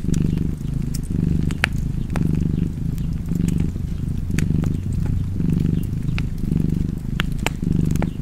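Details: Cozy cat purr, a low throbbing drone that rises and falls in roughly eight even breaths, while fireplace crackles and small wood pops break in sporadically.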